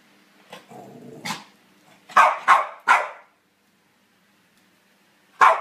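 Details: Charlie, a pet Cavalier King Charles Spaniel, gives a low rumbling growl and then three sharp, quick barks in a row. After a pause of about two seconds, one more bark follows in an otherwise quiet room.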